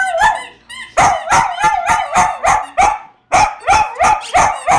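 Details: A male poodle howls like a wolf on hearing his toy dragon squeak, in a run of high, wavering, yelping notes, about three each second.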